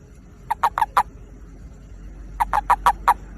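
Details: Toad calling to find a mate: two bursts of four to five short, harsh pulsed notes, mid-pitched and rattling, about two seconds apart, over a quiet, low background hum.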